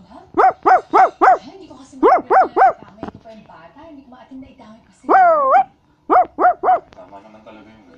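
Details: Basset Hound barking in quick bursts of three short, ringing barks, broken by one drawn-out whining howl that rises and falls, then another burst of three barks.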